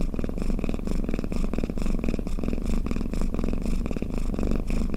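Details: Cat snoring in its sleep, a soothing deep purr of rapid low pulses rising and falling with each breath about twice a second.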